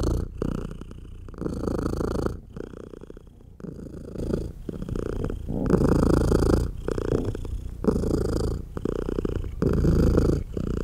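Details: Indoor mother cat nursing tiny baby kittens, purring loudly throughout: a deep, steady rumble rising and falling with each breath in roughly one-second swells, no music added.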